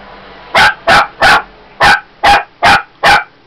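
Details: A female Shih Tzu puppy gives a quick run of sharp, high barks, two bursts in a row. She had been barking for a while at a bottle of lavender oil.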